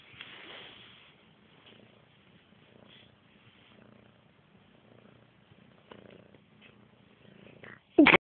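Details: Lazy house cat sleeping on a window sill and yawning; soft, low purring pulses through a quiet stretch, ending in a sudden loud burst.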